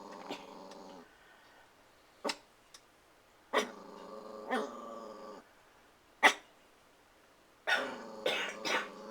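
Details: Puppy, protective and eager to play with the household cats, gives long harmonic growling whines broken by short sharp barks, with a busy stretch of overlapping barks near the end.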